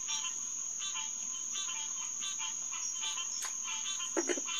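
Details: Green tree frogs (Hyla cinerea) in chorus at Headquarters Pond on June 2, 2021, around 9:10 pm. Nasal, stacked calls overlap and repeat in quick succession over a steady high insect whine, with a brief louder call near the end.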